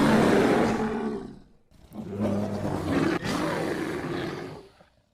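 An American black bear gives two loud, rough, moaning roars separated by a brief pause.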